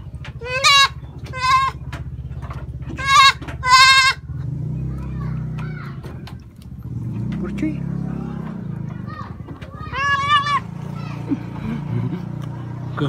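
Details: Goat kid taken out on a grass-cutting trip, calling eagerly like a kid that has just found food: four loud, quavering bleats in quick succession, then low rumbling noise and talk, and one more strained bleat near the end.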